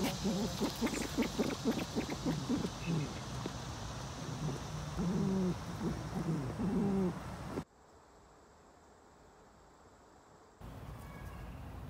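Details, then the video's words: Lemur vocalizing with a run of low, throaty grunting bursts, some rising and falling, repeated rapidly for several seconds before the recording cuts to near silence and then faint background hiss. "Lemur Sounds PART 2!"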